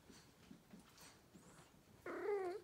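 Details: Female pet cat chatting to her owner about her day indoors; after faint rustling, one short clear meow rises and then falls, lasting about half a second.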